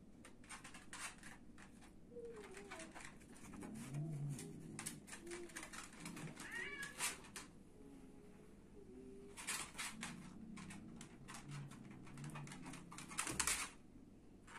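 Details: Domestic cat during a fight, giving a few soft, wavering meows that rise and fall near the middle, over constant rapid scratching and scuffling clicks and thumps in a small indoor room.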